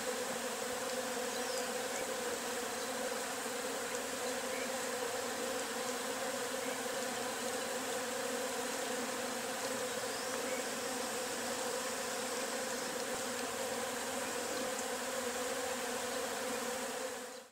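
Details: A dense, steady hum of many Agelaia pallipes wasps buzzing together as a swarm is released from their nest.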